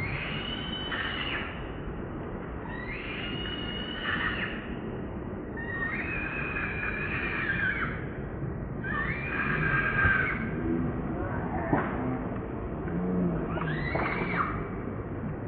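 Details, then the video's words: Baby monkey Leo, hungry and begging its mother for milk, cries loudly: about six drawn-out, wavering, harmonic-rich wails, each roughly a second long, repeating every two to three seconds over a low background rumble. "Baby Monkey Crying Loudly Cos Hungry Milk"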